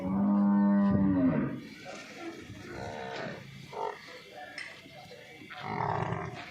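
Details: Nili-Ravi buffalo offered for sale in Punjab, Pakistan, giving one deep, harmonic moo of about a second and a half that dips in pitch at its end, followed by quieter scattered farmyard noises.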